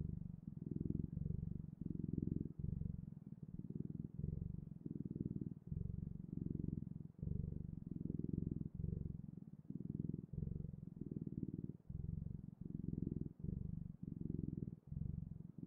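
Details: Long stretch of a cat's steady purring, deep and buzzing, swelling and pausing briefly with each breath at an even rhythm of about one cycle per second, in a quiet indoor space.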